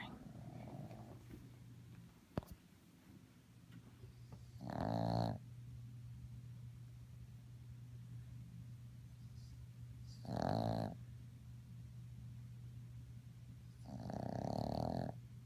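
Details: A sleeping 3½-month-old Boston terrier puppy snores in slow, raspy, breathy rumbles about every five seconds.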